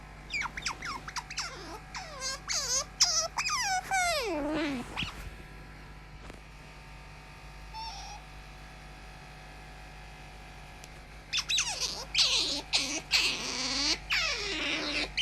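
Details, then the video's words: Tame pet otter acting as an alarm clock, giving a burst of high, wavering squeaks and chirps with sliding pitch, then a quiet gap with a faint tone near eight seconds, then another rapid run of squeals. "Усатая пискля или Выдра вместо будильника"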